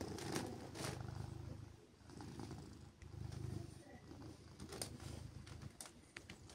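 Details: Deep steady purring from Siberia, a silver tabby cat being petted and cuddled on a chilly morning, rising in low throbbing surges roughly every one to two seconds, with light rustles and brief clicks from handling.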